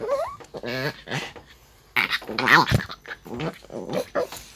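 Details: Maltese dog grumbling in annoyance while being brushed: short whiny, harmonic moans that bend upward and waver, broken into bursts over a few seconds, with brushing rustles and handling noise between them.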